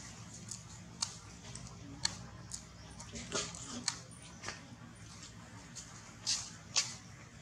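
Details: Baby monkey, cold, shaking and hungry for milk after training, gives short high squeaks in a quick irregular series, roughly two a second, with a few sharper peaks near the end, over faint indoor room noise.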